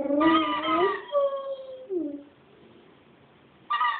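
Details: Pet dog Chooch singing: one strong wavering howl lasting about a second, followed by softer trailing tones that fade into near quiet, then a fresh howl starting at the very end.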